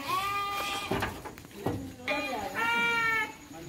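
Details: Three-month-old Garut lambs on their way to Purwakarta bleat in clear, quavering, nasal calls at the start and again near the end, while human voices and handling noises run in between.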